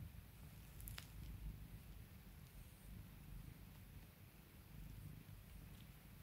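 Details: Quiet, close purring of a domestic cat as its owner calms and spoils it, an even low buzzing rumble with slight breathing swells and a brief click early on.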